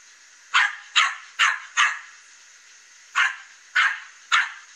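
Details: Dog loose from its owner barks at a fence in the morning as the cat Katie looks on; seven quick, sharp barks in two runs, four then three, roughly half a second apart, with a constant background hiss.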